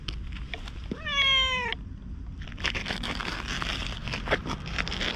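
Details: Ginger tabby community stray cat, briefly petted, follows as the person walks away while chattering in 'cat language', filmed on a GoPro HERO8; one clear drawn-out meow, slightly falling at the end, then footsteps and rustling outdoors.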